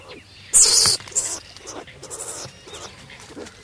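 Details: Skunk giving one loud, harsh hissing burst of about half a second, followed by fainter, scattered rasping and rustling noises.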